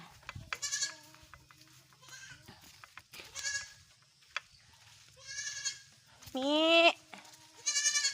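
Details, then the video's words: Goats bleating while being herded outdoors in the morning: several nasal, wavering bleats at irregular intervals, one longer and louder with a rising then falling pitch, with a man's voice calling to the herd between them. "Maglalabo ng mga Kambing"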